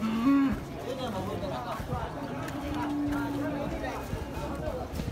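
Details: A short moo opens, and a longer level one follows midway, from cattle among the many kinds of sapi at Pasar Muaro Paneh, West Sumatra's largest livestock market, with people talking all around.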